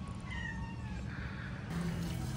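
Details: Domestic village cat being groomed and bathed at home; a faint, drawn-out meow with a slightly falling tone, heard under loud low background music and handling noise.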